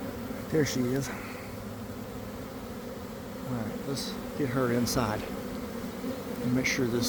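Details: Inside a developing honey bee swarm from a garden hive around 1 pm, after cold damp weather: constant massed buzzing, cut through by several loud, pitch-shifting passes of single bees flying close by.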